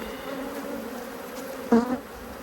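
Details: Cross honey bees during inspection of their hive. A soft, level drone builds to a sudden loud, rich buzz near the end as a bee flies right past, then fades back to the background hum.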